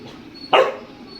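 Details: Pet dog giving a single sharp bark, stubbornly demanding to be let into the air-conditioned room; one short loud woof against quiet room background.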